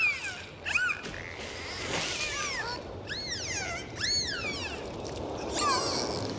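Dolphins give a run of arching whistles that swoop up and down in pitch over a hiss of sea noise.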